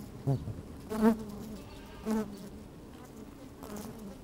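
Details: Honey bees working inside an open hive on a fine, sunny day, with a microphone slid down among them; a low hum broken by several short, louder buzzes near the start and around the two-second mark.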